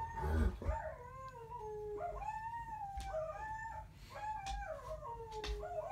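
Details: Pair of dogs howling in chorus, long wavering tones that bend up and down and overlap, with a low steady hum beneath.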